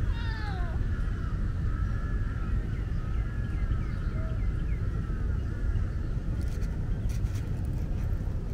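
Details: A young, shy tabby tomcat, recently separated from his mother, meows while being petted. The short, harmonic meow falls in pitch and is followed by steady low background rumble and faint chirps.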